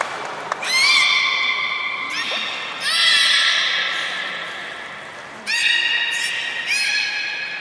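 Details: Captive belugas Gray, Nana and Nico during a training session after the 16:00 public training at Port of Nagoya Public Aquarium, Japan, on 1 January 2019; three long, harmonic-rich whistled tones, the first rising, each lasting about two seconds, indoors.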